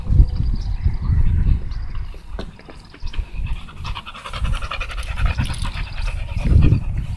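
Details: American Bully named Tugboat panting while out on a walk: quick, breathy broadband puffs in rapid runs, strongest in the middle seconds, over a low outdoor wind rumble.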